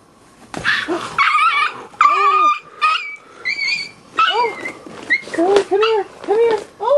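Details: Miniature Pinscher puppy being attacked by a deer: a run of high, arched whimpering yelps and squeals, some short and some drawn out, coming in quick bursts, with a person speaking calmly over them.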